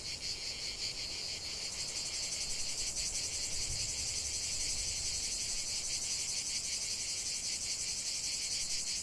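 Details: Massed cicada song outdoors: an unbroken high buzzing wall of sound with a quick rhythmic pulsing, swelling slightly after the first second and holding steady to the end.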